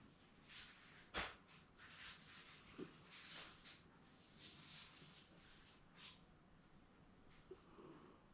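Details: A Shiba Inu napping comfortably at home, snoring as it seems to dream: soft breathy snores repeat in a loose rhythm, with one sharper snort partway through and a quiet indoor background.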